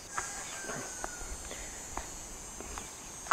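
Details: Cicadas drone in the background at Sahuayo, Michoacán, Mexico, with a steady, high-pitched buzz that locally heralds the start of the rains, alongside scattered footsteps and clicks.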